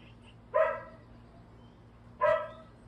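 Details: Domestic dog barking in the distance at another dog, two short harmonic barks about one and a half seconds apart, with quiet background hum.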